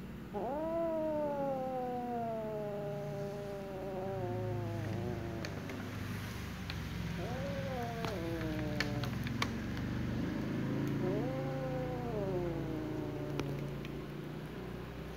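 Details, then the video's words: A jealous black female cat targets a little ginger cat who is playing; three drawn-out wavering yowls, each rising then sagging in pitch, separated by low grumbling and scattered clicks and taps. "little ginger cat who is currently playing is being targeted by a jealous black female cat"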